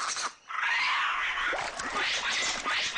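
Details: White-faced capuchins by streams in Costa Rica give harsh, broadband screams and rasping chatters almost without pause after a brief opening sound, a snake alarm call, one of several predator-specific calls warning the troop.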